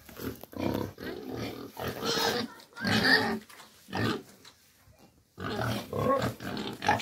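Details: Pigs kept on a pig farm give loud, rough squealing grunts in separate bursts of about a second each, with short silent pauses between the outbursts.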